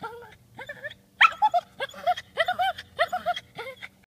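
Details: Whimpering from a female dog with separation anxiety who keeps looking back for her owner: a rapid series of about eight short, high, wavering whines, each sliding up and falling, spaced under half a second apart.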